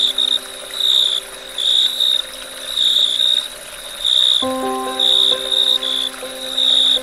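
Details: At dusk, crickets give high, rasping chirp bursts in an even rhythm, roughly one every second. For the first half they are nearly alone; then slow background music enters with soft sustained chords.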